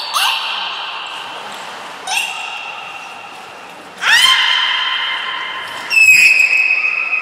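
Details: Belugas Nico and Mirai during a training session at Port of Nagoya Public Aquarium, Japan, on 29 February 2020: four long, steady, harmonic tones arrive about every two seconds, each opening with a quick rising sweep and a sharp burst, in a reverberant hall.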